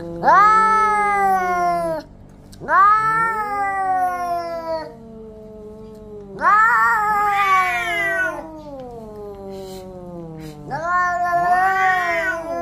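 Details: Orange cats in a fight give a series of four loud caterwauls, each a wailing, harmonic yowl lasting about two to four seconds. The cries rise and bend, then sag downward, with short pauses between them.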